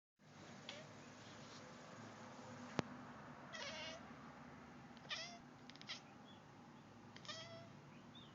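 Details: A female Turkish Van cat chatters at birds seen outside the window in short, clipped bursts of chirping, stuttering sounds.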